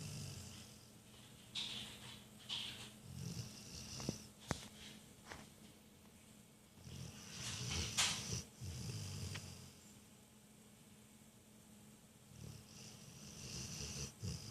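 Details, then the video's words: Rottweiler snoring: rasping, noisy breaths with a low rumbling undertone, rising and fading irregularly, broken by a few sharp clicks, in a quiet setting. "the Rottweiler snores"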